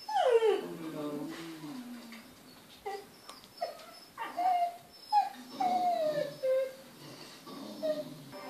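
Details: Kai Ken named Ikko reacting to wildlife on television with high, sliding whimpers: one long descending whine opens, then shorter bent cries and a drawn-out falling note, interspersed with quieter breathy sounds indoors.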